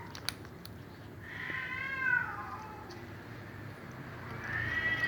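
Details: A domestic cat meows while a black cat eats fried fish; two drawn-out harmonic meows, the first rising then falling over about a second, the second starting near the end, over a low steady room hum.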